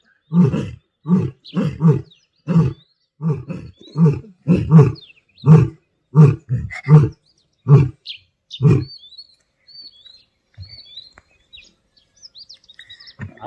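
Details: Asiatic lions mating in Gir forest in the wild. A long run of rhythmic, low grunting roars repeats more than once a second and then stops, leaving faint small bird chirps in the quiet that follows.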